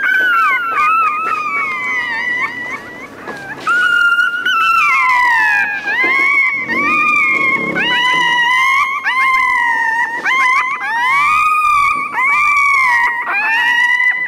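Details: Crying puppy giving long, high, wavering whines that rise and fall in overlapping drawn-out wails with hardly a pause, at times sounding like more than one voice at once, for about fourteen seconds.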